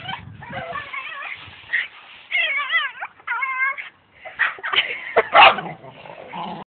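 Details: House dog reacting to a brush with strange noises: separate bursts of tremulous, rapidly oscillating whines and yips, some loud and strained, with short silences between phrases.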